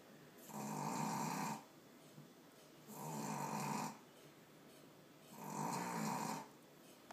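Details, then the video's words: Sleeping three-month-old Boston Terrier puppy, a male, giving loud rasping snores: three drawn-out, harsh inhalation-like bursts about every two and a half seconds, separated by near-silent pauses. "My dog snores LOUD!!"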